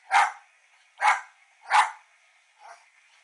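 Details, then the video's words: Female West Highland White Terrier barking at her reflection indoors, three loud, sharp barks roughly 0.7 seconds apart, then a softer, shorter fourth bark, with a faint steady background hum. "WESTIE BARKING AT HER REFLECTION"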